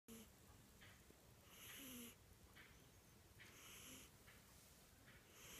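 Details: A sleeping cat snoring: soft, breathy rasps at uneven intervals, one breath carrying a faint low whistled tone, over a quiet hiss.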